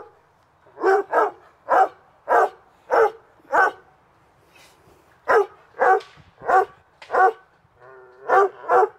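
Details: Dog barking during summer afternoon play in a backyard: a series of sharp, loud barks, often in quick pairs, repeating about every half second with short pauses between bursts; quiet yard otherwise.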